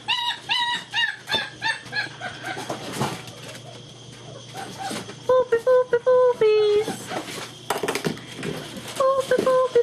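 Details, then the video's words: German Shepherd puppies of Vom Barron's Pride playing together indoors on 2-5-2012; a run of high, even whines repeats quickly at first, then scattered yelps and short squeals follow, with thumps and scuffling between them. "GSD Puppies getting frisky together!"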